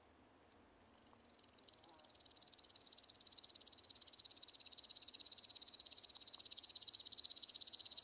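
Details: Woodland grasshopper on Gaisberg, Austria, 15 September 2023: a high, dry, rapid ticking series of pulses that starts faint and swells steadily louder over eight seconds, with one sharp click near the start.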